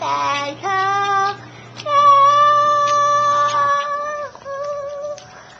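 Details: A five-month-old female Boston Terrier "sings" happy birthday, crooning in long, wavering howls that rise and fall like a tune.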